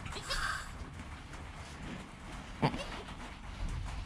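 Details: Newborn goat kid named Joel, recorded on a GoPro within an hour of his birth beside his calm mother Penny: one brief, high, nasal bleat near the start, then a single sharp knock amid low rumbling and rustling.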